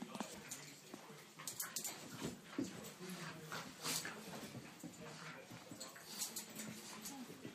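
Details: Two Cairn Terriers, Brodie aged three and Deacon a 16-week-old puppy, in rough and tumble play three days after the puppy arrived; low rumbling growls run steadily beneath sharp scuffling and clicking noises.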